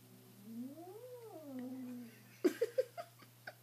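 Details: Young house kitten, three days in a new home, reacting to its own reflection in a mirror as if to another cat and wanting to attack it: a drawn-out rising and falling moaning growl, followed by several short sharp thumps.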